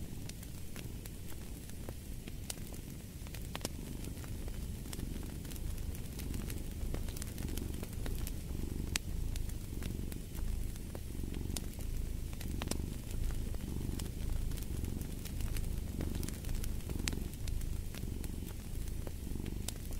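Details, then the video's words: Muffled cat purr forming a low throbbing bed beneath dense fireplace crackling, the rumble pulsing in regular waves every second or so. "Purring of a Cat"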